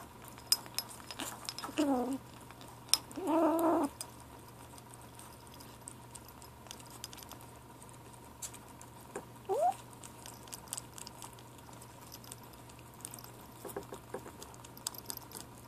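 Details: Ashe, a gray 7-week-old kitten, calling while eating: two short wavering mews around two and four seconds, a faint rising squeak later, amid soft clicking and lapping noises indoors.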